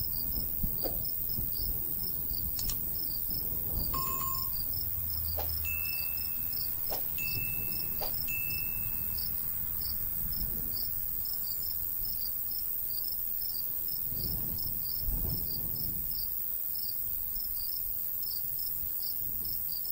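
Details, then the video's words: Crickets in summer countryside by a golden wheat field: steady rapid high pulsed chirps throughout, with a few brief clear tonal notes and clicks midway, over low rumbling breeze. "Countryside/cricket sounds"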